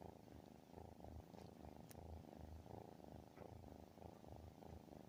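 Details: A cat's booming purr, which might be a snore, throbs low and even, each breath making a fresh swell of rumbling vibration; one faint tick stands out.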